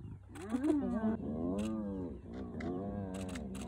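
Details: Spotted hyenas of a clan mobbing the young male lion known as the Nkuhuma male, early morning at Elephant Plains, northern Sabi Sands, South Africa; overlapping harmonic, wavering moans and groans from several animals, with brief clicks and low rumble behind.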